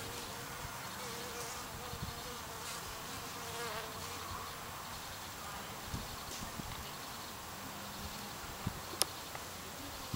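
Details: Japanese honey bee colony in a Japanese-style hive at an apiary on Christmas Eve in winter, 8°C; faint, steady low hum with brief drawn-out droning tones in the middle range, over soft hiss and scattered light clicks.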